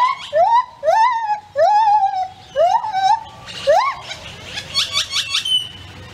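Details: A lar (white-handed) gibbon gives its territorial morning call: loud, swooping whoops about one each second, rising then levelling off, quickening into rapid higher notes at the end; grackles sing in the background.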